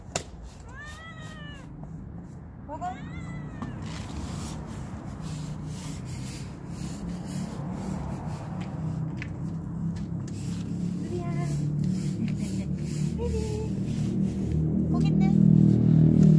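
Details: A playful stray cat gives two short, rising-then-falling meows in the first few seconds, followed by fainter, brief mews later over a steady low rumbling background.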